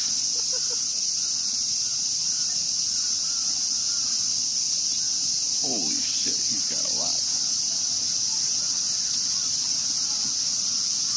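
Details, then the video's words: Cicada chorus in Tokyo's Ueno Park, Japan: a steady, piercing high buzz from many insects, while a man speaks and brief voices rise partway through. "DAMN CICADAS!! SHUT UP!!"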